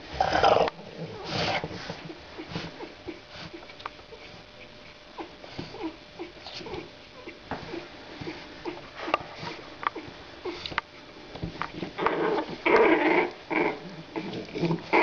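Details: Two 27-day-old female French Bulldog puppies, born 23 December 2011, playing together indoors and beginning to growl; rough, noisy growling bursts open the clip and return near the end, with soft scuffling, sniffing and pattering between them.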